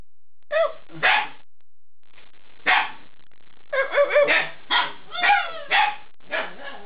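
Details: Eight-week-old Alaskan Malamute puppies giving short, scratchy barks and yelps, first sparse, then a quick run of six or seven overlapping barks in the second half.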